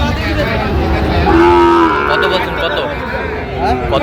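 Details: Sahiwal bull calves at a cattle market in Sylhet, Bangladesh, recorded 26 September 2025; one short low moo with a steady tone mid-clip, heard over constant crowd chatter and bargaining voices.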